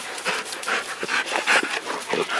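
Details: An excited Rottweiler going for a ball pants in quick, loud, breathy puffs, several per second, with a few soft whines mixed in.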